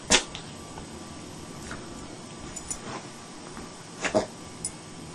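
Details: Maggie, a pet dog, rolling around during a sneezing attack that lasted about 30 minutes; short sharp sneezes burst out near the start and again around four seconds, with quiet room noise between.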